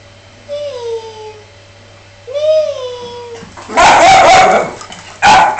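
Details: Miniature Dachshund whimpering: two high, thin, falling whines about two seconds apart, followed by loud rough bursts of yipping or barking.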